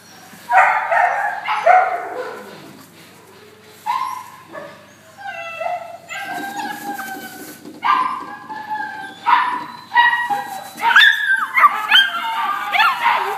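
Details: Labradors at a dog center, dated 14-11-12, giving high-pitched yelping and whining calls in irregular bursts, some rising and falling. Several overlap near the end, with short quiet gaps between volleys.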